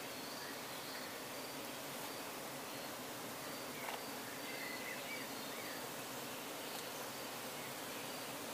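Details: Bees housed in roadside hive trucks in Croatia, near nightfall during honey extraction, heard from very close range: an even, broadband drone of countless wings that stays level throughout, with a brief louder rustle midway.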